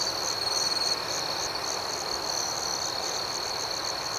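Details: Nighttime cricket ambience outdoors: an even, high-pitched chirping chorus beating roughly four pulses each second, a little louder at the start, with no other clear sounds.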